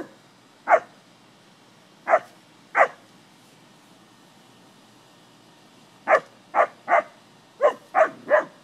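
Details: Playing with cattle, English springer spaniels bark in short, sharp bursts: three spaced barks, a pause, then a rapid run of six or so, over a quiet background.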